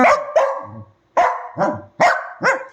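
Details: Two pet dogs squabbling at night, their nightly habit: sharp barks alternating with short throaty growls, about six barks in under three seconds, and a woman scolding them.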